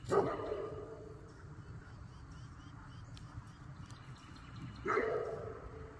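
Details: Great Pyrenees working dog on a farm, trying to catch a crane that landed near the pond. Two loud, deep barks, one at the start and one near the end, with a quiet gap of faint background between them.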